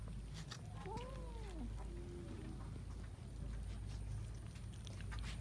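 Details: Cats eating rice with fish; one cat gives a single arched meow that rises and falls over about a second, followed by a short flat tone, over a steady low hum and faint clicks.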